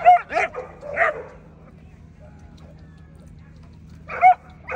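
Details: American Pit Bull Terrier heard at the 2024 ADBA Tristate conformation dog show, 12–18 month female class: a quick pair of barks, a third, then a long quiet pause before two more barks.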